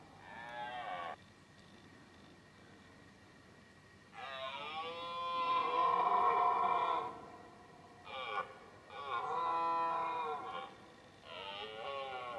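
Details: Rutting red deer stag in 2018, roaring repeatedly. Five harmonic bellows of uneven length: a short opening one, a long swelling three-second roar, then a brief grunt, another full roar and a final trailing call, with quiet gaps between.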